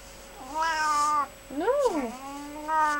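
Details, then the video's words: Pet cat, a gentle, sassy female, giving three clear meows indoors: a level drawn-out cry, a sharp rising-then-falling one, then another steady meow, about a second each. "Hermy talks"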